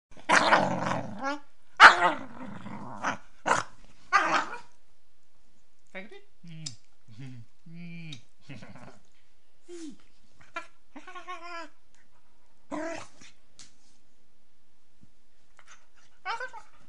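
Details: A female Beagle puppy, playing with her owner, gives a few rough barks and growls, then soft, wavering howls that rise and fall.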